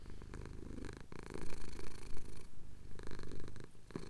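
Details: A male pet cat purrs under chin scratches at dawn in the Cotswolds, recorded with a Tascam DR-07X; thick low rumble in uneven surges, briefly dipping near the middle, with light handling noise.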